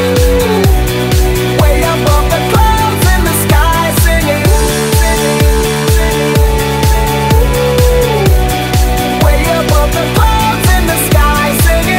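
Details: Loud electronic dance music with a steady four-on-the-floor beat of about two beats per second, bass notes and sustained synth tones, and no animal sounds.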